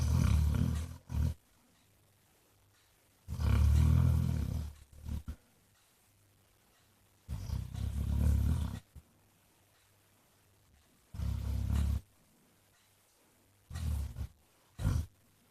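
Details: Basset Hound named Jack, also called Mr Flops, snoring: deep low rumbling snores in long bursts of one to two seconds, separated by quiet pauses, with a few shorter snorts between.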